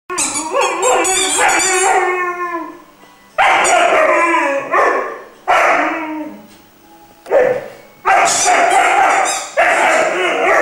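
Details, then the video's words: Irish Wolfhound puppy named Glor na Gael Iarla, three months old, singing in a run of harmonic howls and yelps, sliding and wavering, broken by short pauses with loud bursts returning near the end. "Irish wolfhound is singing"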